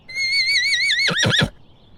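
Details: Horse giving a high, wavering whinny: a long quavering tone with a steady vibrato, breaking into three quick descending pulses before stopping sharply.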